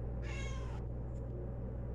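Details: Talkative domestic cat answering a person asking whether it wants food: one drawn-out, harmonic-rich meow lasting about half a second, followed by quiet, over a steady low hum.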